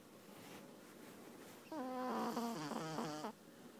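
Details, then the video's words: Very sleepy Petit Brabançon puppy snoring: soft breathy room hush, then one drawn-out snore of about one and a half seconds with a whistling, stepped, buzzy nasal tone. "Snoring dog"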